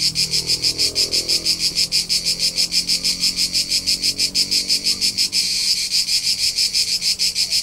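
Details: Cricket singing on a summer hillside in Tuscany, Italy: a relentless, shrill, buzzy pulse about three per second that briefly grows louder midway, with a low murmur in the background early on.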